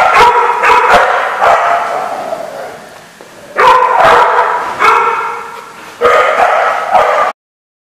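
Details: Dogs bark on 14 November 2014 at the Barking Lot: sharp single barks and longer loud volleys alternate over several seconds before the sound cuts off abruptly.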